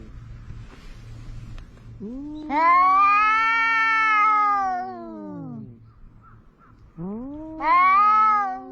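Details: At the seaside, two cats argue, one of them orange. After a low rumbling start comes a sustained wavering yowl of about three seconds, rising then sliding down, and another yowl rises near the end.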